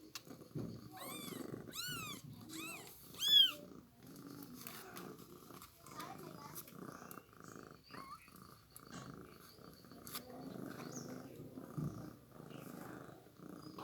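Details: A newborn kitten being fed milk gives a quick run of four high, bent mews in the first few seconds, then falls quiet amid rustling, shuffling and handling sounds.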